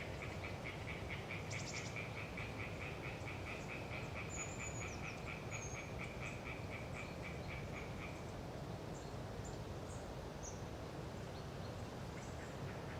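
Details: Hyla orientalis tree frogs chattering in the Galeriç swamp forest of the Kızılırmak Delta, Samsun, on a windy autumn day: rapid pulsed notes repeated for about eight seconds, then fading, with thin high bird calls above and steady wind roar.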